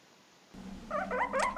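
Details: A guinea pig gives quick, wavering squeaks while sniffing an interesting scent. The owner has heard this only from males sniffing female odours, which draws a reaction from other males.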